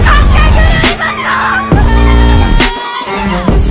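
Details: Loud hip hop music with rapped vocals and a heavy bass line fills the short stretch, with no animal sounds.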